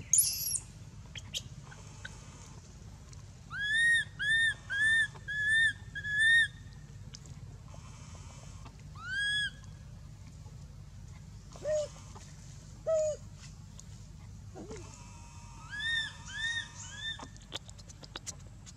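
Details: Baby monkey Anissa at Angkor Wat temple, crying in pain after being hit by Aron and dragged across hard earth: high, arched, whistle-like cries in quick runs of four to six, separated by pauses, with some lower shorter squeals between.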